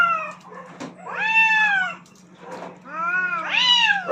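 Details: Two aggressive cats fighting for dominance on a rooftop: long, wavering, harmonic-rich yowls rising and falling, two drawn-out wails separated by brief pauses, with a steady low hum underneath.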